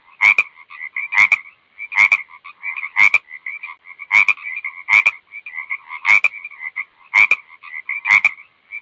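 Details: A frog calls in a regular series of sharp clicking croaks roughly once a second, linked by quieter ringing chirps at a steady pitch; no background noise.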